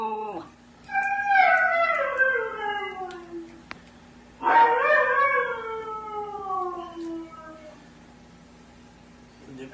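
A Siberian husky puppy gives two drawn-out howls that start high and slide steadily downward.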